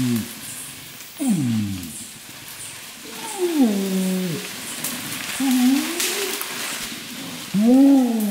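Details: Adult flanged male orangutan in dense peat swamp forest at Tuanan, Central Kalimantan, giving a far-reaching long call to repel rival males and attract females: deep groaning pulses sweeping downward, then rising and falling bellowed notes, with insects buzzing behind.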